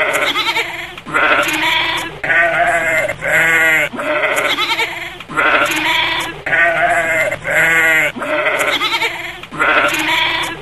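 A goat bleats repeatedly, each call a nasal, quavering cry about a second long.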